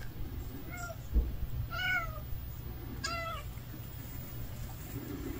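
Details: Hungry stray cat giving three clear, high, harmonic meows at roughly one-second intervals, each short and slightly falling, over a steady low background rumble.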